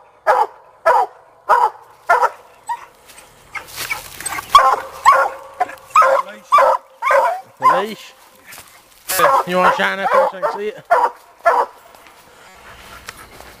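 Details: Young Black and Tan Coonhound Sadie barking on a coon hunt after catching her raccoon; a quick series of bright, harmonic barks and whiny yelps, with people talking over the middle section.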